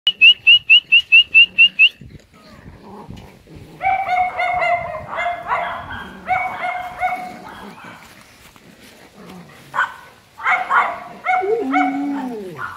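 Golden Retriever puppies whine and yelp in high, wavering cries after a quick run of thin squeaks.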